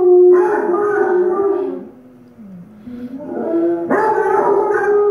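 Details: A Doodle dog howls along with Basset Hounds on TV, in long tonal wails that slide down, dip, then swell back up; Doodle.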